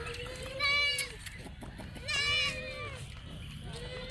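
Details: Goats at a farm in Banhyal bleating twice, each call a long wavering nasal bleat with rich harmonics lasting about half a second, then a third bleat starting at the end; human voices murmur in the background.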